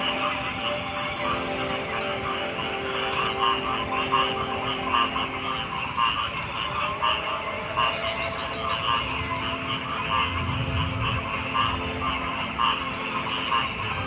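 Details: Frogs croaking in a dense, overlapping chorus of rapid pulsed notes that run without pause, over a steady low droning hum like a distant engine, with a thin high buzz holding throughout.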